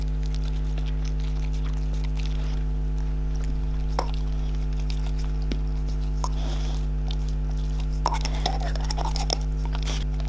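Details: English Springer Spaniels Hadley and May eating indoors: scattered crunches and wet chewing clicks, bunched near the middle and end, over a steady low electrical hum.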